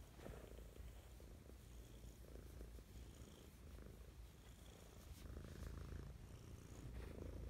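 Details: Mischa the cat purrs lovingly in the morning, a deep even rumble pulsing steadily, growing a little louder toward the end, no other clear sounds.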